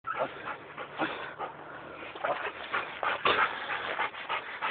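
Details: A German Shepherd starting scent training during a sniffing test, making quick, breathy sniffs and pants in uneven bursts, some louder than others.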